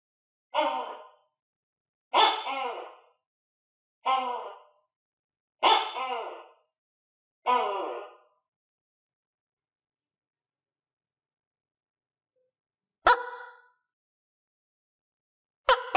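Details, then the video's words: Captive tokay gecko during cricket feeding, kept alongside other tokay geckos; a run of five harsh, double-noted calls about every 1.6 seconds, a long silent pause, then two more sharp-onset calls. "Funy Tokay Gecko Eat Crickets - Sound Of Tokay Gecko"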